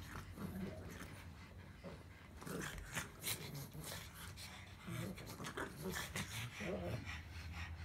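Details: A pug grumbling indoors in low, throaty rumbles and snuffles that swell and fade in uneven bursts, with a human voice speaking at points.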